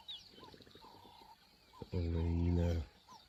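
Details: In Kruger National Park, South Africa, in 2024, one lioness kills another in a fight over food. A single low, rasping growl lasts about a second, after softer rumbling and faint background tones.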